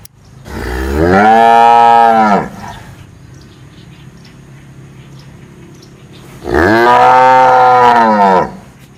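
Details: Two long cow moos, each around two seconds, separated by roughly four seconds of quiet; both calls are loud, steady and deep with a slight rise at the start.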